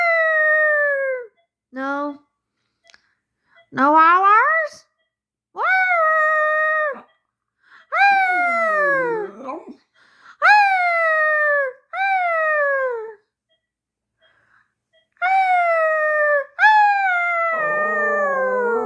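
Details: Xoloitzcuintle (Mexican hairless dog). A Xoloitzcuintle vocalises in clear, musical wails lasting a second or so, each sliding downward or bending upward like a yodel. Short yips come between the longer moaning howls.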